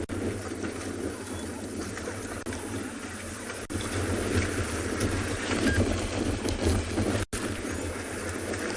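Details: A continuous low engine-like rumble fills the recording, with broad hiss above it and a few brief dropouts. No clear animal voice can be picked out.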